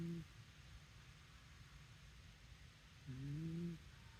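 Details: Snoring Shiba Inu dog, two low rumbling breaths, a short one at the start and a longer, slightly rising snore about three seconds later, over a quiet constant room hum.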